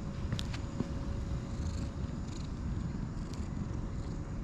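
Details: While being stroked, a light brown and white cat rolls around contentedly; a continuous low, rumbling purr fills the clip, with faint rustling clicks on top.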